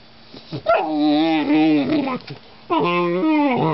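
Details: German Shorthaired Pointer puppy, described as very vocal, giving long drawn-out whines and howl-like moans with a wavering pitch, two sustained bouts separated by a short pause.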